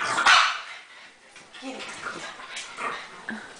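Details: French bulldogs playing tug with a rope: one sharp bark near the start, then softer grunts and scuffling as a woman cheers them on and talks throughout.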